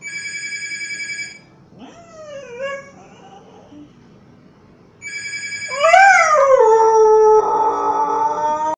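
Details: Siberian Husky reacting to a phone call ringing: electronic ringtone bursts alternate with the dog's sliding, whining howls that rise then fall, the last one long and sustained over the ringing.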